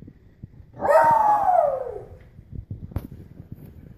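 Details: Pug worked up after bath time, getting crazy when wet. A single drawn-out howling whine lasting over a second. It starts fairly high and slides steadily downward, followed by quiet snuffles and a sharp click.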